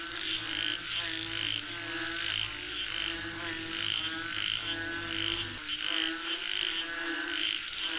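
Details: Frogs calling for rain: layered pulsed croaks in irregular waves over a steady high-pitched buzz, with a low hum for the first half and a brief break near the sixth second.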